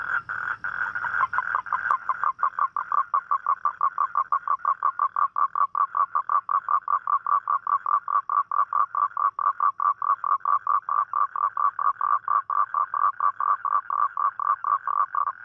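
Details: Toad calling at night, as toads do on rainy nights to seek a mate: a long, steady train of short, mid-pitched croaking pulses, about four per second. A brief burst of rustling noise opens the sequence.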